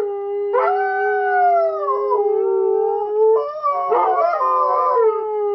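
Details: Two Siberian huskies "sing" on command, howling together in long, mid-pitched, wavering tones that slide and overlap, with brief breaks and a rougher, stacked passage near the end.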